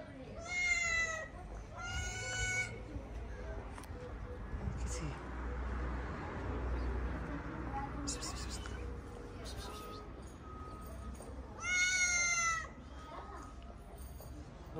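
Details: Stray cats in Morocco crowd around a plate of leftover food in the street. Loud, high, harmonic meows come in a quick pair near the start and again near the end. Quiet talking and low street rumble fill the gaps.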